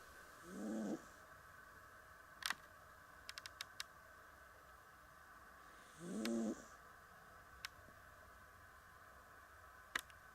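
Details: Persian cat Pamuk snoring in her sleep: two brief, rough, throaty snores about five seconds apart, each with a breathy hiss. Sharp clicks and light ticking sounds are scattered between them in a quiet indoor setting.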